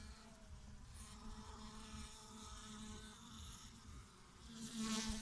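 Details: Steady low hum from bees dying after pesticide treatments, filmed 7 May 2017. The drone holds its pitch, with faint upper overtones, and grows louder and more rasping in the final second.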